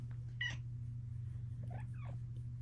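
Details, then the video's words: Female Bengal cat chatting indoors with her owner: a short, bright meow near half a second in, then two softer chirping trills later, over a steady low hum. "My cat talks to me. Compilation of cat chats."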